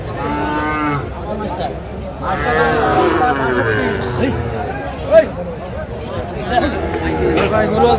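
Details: Sahiwal bull calves at the Aftabganj cattle market in Madaripur, Bangladesh, on 30 November 2024; a drawn-out, wavering low moo rises then sags over about a second, amid steady crowd chatter and bargaining voices.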